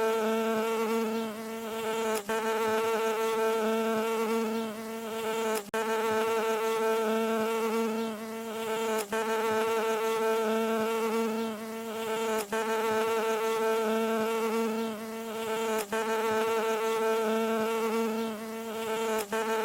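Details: Mid-frequency masking sound for tinnitus featuring a bee landing: a sustained, nasal buzzing hum with layered overtones, holding one pitch throughout, with quick regular breaks every few seconds.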